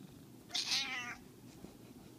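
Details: An 11-year-old domestic cat, shown playing, gives one short, loud, harsh meow lasting about half a second, with a noisy, raspy onset that falls off quickly, then quiet indoor background.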